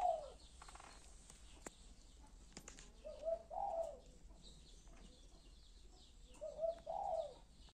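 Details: A few-days-old kitten cries in spaced, wavering mews, about three bursts several seconds apart, each thin and quavering, against a soft low hum and faint clicks.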